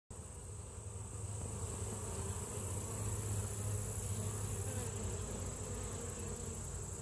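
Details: Honey bees at the hive, a steady low droning hum with a deep fundamental and stacked overtones, continuous and even throughout, swelling slightly in the middle; no other clear sounds.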